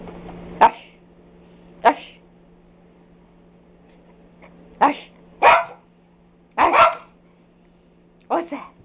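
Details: Pet dogs barking indoors, sharp broadband barks at irregular spacing, about six across the stretch, some doubled; a steady low electrical hum runs underneath, with a person's voice praising the dog nearby.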